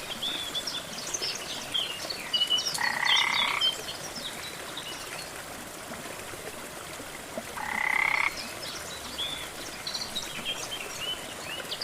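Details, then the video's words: Two raspy, buzzing frog croaks about five seconds apart near a jungle waterfall, with scattered high bird chirps and the soft rush of falling water throughout. "Waterfall & frog sounds"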